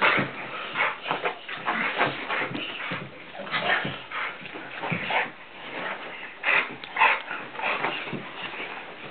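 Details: Tantrum, a Blue Nose Pit Bull, horse playing with a person; dense, breathy whines and huffing grunts pile up in short overlapping bursts for about nine seconds, with stronger, strained yelps toward the end.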